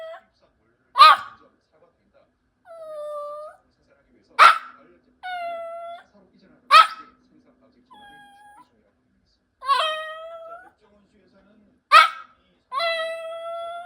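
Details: A sixteen-year-old Maltese, an elderly dog, alternates sharp single yips with drawn-out nasal whines. The pairs repeat roughly every three seconds in an otherwise quiet room.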